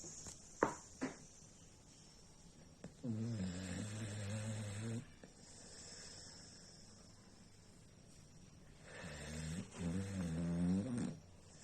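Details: Sleeping pet dog in Bangladesh snoring like a human: two long, low, rumbling snores with a wavering tonal edge, each lasting about two seconds and separated by quiet breathing, with a couple of brief clicks early on.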